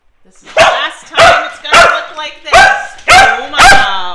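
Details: Fluffy male dog celebrating his fifth birthday with a homemade cake: six loud, sharp, excited barks spaced about half a second apart, with a quiet lead-in whimper.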